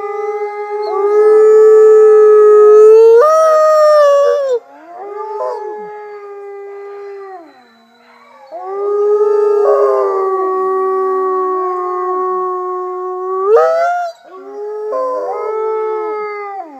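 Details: Captive Mexican gray wolf F810 leading a chorus at the Wolf Conservation Center, South Salem, NY, with Arctic, Rocky Mountain and red wolves plus fellow Mexican gray wolves: several long, steady overlapping howls, a voice jumping upward midway, and brief pauses.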